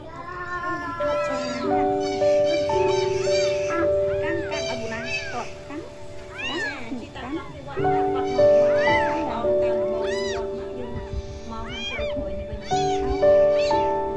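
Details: Four abandoned kittens, left in front of a house, all meowing at the same time: short, arched, high meows repeated and overlapping, over steady background music.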